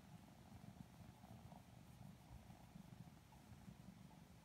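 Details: Lilac Modern Lynx Balinese kittens being petted and cuddled, purring sleepily; low pulsing rumble, somewhat masked by muffled handling noise.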